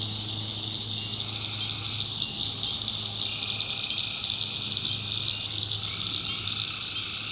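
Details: Tree frogs at night in North Carolina swamp woods give long, droning trilled calls that start and stop, layered over a bright, unbroken wall of cricket song and a faint low rumble.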